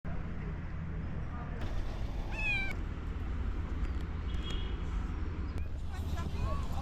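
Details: Street cat greeting someone after three months apart, hugging close: a steady low rumbling purr underneath, broken by one short, bright, wavering meow near the middle, with faint street noise.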